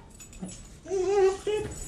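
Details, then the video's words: Siberian Husky, told off for eating chocolate, gives a short, steady whining moan followed by a second brief whine, faint room noise behind. "Talking Siberian Husky"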